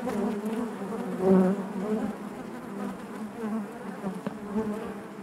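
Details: Hive interior full of honey bees: a low, even buzzing drone with wobbling pitch and a short, stronger swell just past one second before settling back into the steady hum.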